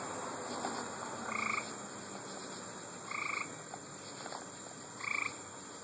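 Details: Gray treefrogs (Hyla versicolor) call from a roadside in Wading River on August 3, 2012: short, musical trills about every two seconds over a steady insect drone.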